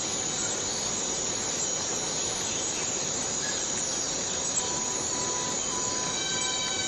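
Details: Rainforest cicada in Borneo holding a constant shrill hiss, while short, evenly spaced tonal beeps from another caller repeat in the latter half.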